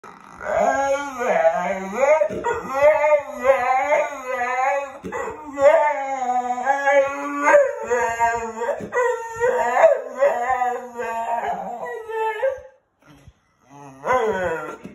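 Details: An English bull terrier sitting on a chair "talks" with long, wavering, howl-like moans that rise and fall like speech.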